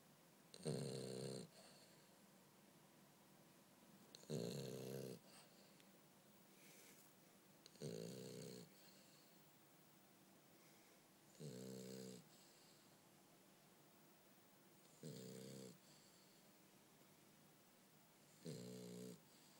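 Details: French Bulldog named Bumble B snoring while asleep indoors: six loud, raspy, rattling snorts, each lasting about a second, repeated roughly every three and a half seconds, with quiet breathing between them.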